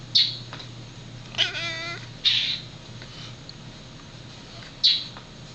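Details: A domestic cat watching his bird friend outside chatters at it, giving sharp, high chirps every couple of seconds and one wavering, trilled mew, over a faint steady hum.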